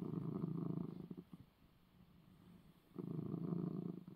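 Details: Domestic cat purring after receiving his eye medicine: two bursts of low, steady rumbling purr, one at the start and one near the end, separated by a quiet pause of faint breathing.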